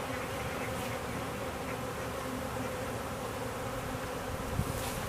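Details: Honey bee swarm entering a new hive at home, said to mean the queen is inside; dense, even buzzing hum from many bees, steady in loudness with no breaks.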